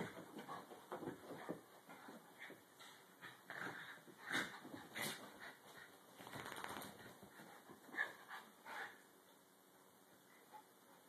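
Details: Dog playing quietly with no barking or growling, giving short high whimpers and yips in scattered bursts, louder near four to five and eight seconds, then fading to near silence at the end.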